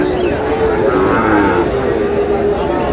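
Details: Sahiwal calf at a crowded cattle market in Dinajpur, Bangladesh, on 18 May: a long, steady, harmonic lowing of about two seconds, held at an even pitch, partly overlapped by men haggling over the price.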